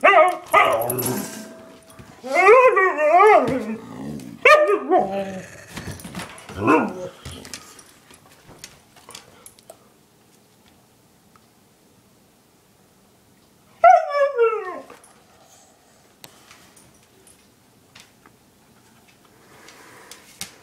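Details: Pet dogs Chinook, a one-year-old husky, and Lola, an eight-year-old German shepherd mix, vocalize in a run of wavering, harmonic yowls and bark-like bursts over the first seven seconds, then fall quiet until one sliding, falling cry near the end.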